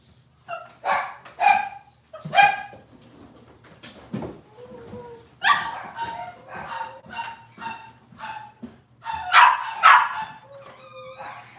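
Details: Robin's litter of Cavalier King Charles Spaniel puppies, watched on a kitchen cam, calling in a jumble of sharp yips, short barks and thin whimpers, loudest toward the end, over a low mechanical hum.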